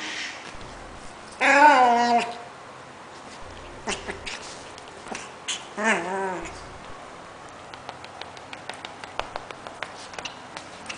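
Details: Pomeranian (Canis familiaris), vocalizations.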